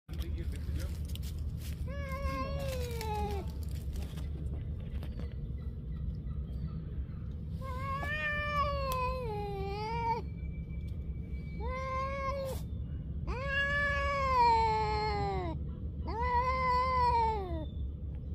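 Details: Street cats squaring off in a fight, a stray colony filmed outdoors: drawn-out wavering yowls rising and falling, several long howls in sequence with short gaps, over a steady low traffic-like rumble.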